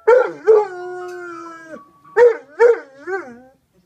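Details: Dog howling in response to an ice cream cart jingle: two short yelps, then a held, falling howl of more than a second, then three more brief wavering yelps.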